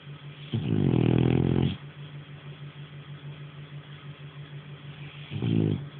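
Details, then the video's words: Sleeping French Bulldog Nara snores loudly, a long gravelly rasp of over a second followed several seconds later by a shorter snort, with a constant low hum in the background. "Nara snoring"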